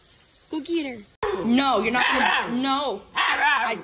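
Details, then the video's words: Siberian Husky, in a compilation of dramatic husky behaviour, making rapid yowling, talking-back whines and howls with bending pitch, over a person's scolding voice. "Dramatic Husky's Behaviour"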